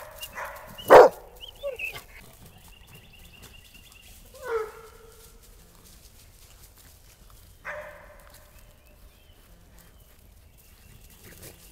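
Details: Coonhounds on an ordinary day, three hounds with a small toy rat terrier: one loud, sharp bark, then two softer, shorter barks spaced a few seconds apart over quiet outdoor background.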